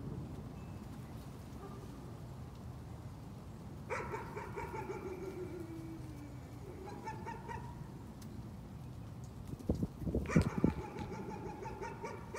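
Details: Nuisance barking from a dog: a fainter bout of rapid yaps near four seconds, a few softer barks later, then a final burst at ten seconds alongside louder low thumping sounds.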